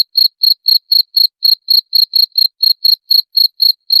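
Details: {'text': 'A cricket used as a rat-repelling sound, giving a continuous run of bright, high-pitched chirps at an even pace of roughly four per second, with no other sounds present.'}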